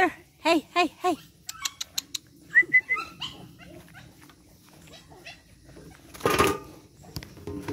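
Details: Energetic 8-week-old Boston Terrier puppies from Charm's litter; three loud rising-falling yelps open, followed by thinner squeaks and short whines, then a burst of rustling noise near the end.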